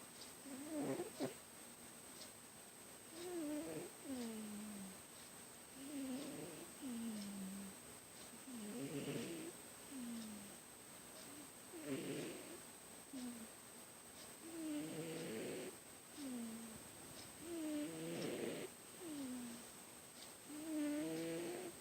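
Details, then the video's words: Sleeping pet cat snoring very loudly indoors: wheezy, whistled tones sliding downward, repeating roughly every three seconds over a steady hiss, with a constant high thin whine throughout. "My cat snores very loud!"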